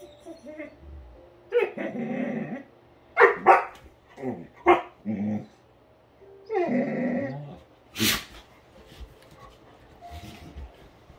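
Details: Great Dane playing roughly with another dog indoors: a run of harsh barks and growling yelps in irregular bursts, some long and rasping, some short and sharp, with a loud clack near the end.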